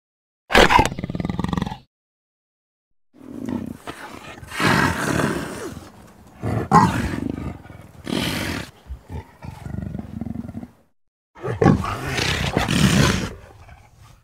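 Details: An Amur leopard (Panthera pardus orientalis), an endangered animal, calls with harsh, rasping growls and roars in several broken bursts.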